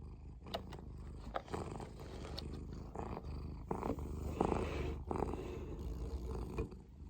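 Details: Munchkin cats in a kitchen in Korea, purring: a low, steady rumbling hum runs through the whole stretch, broken by sharp clicks and brief clattering kitchen noises.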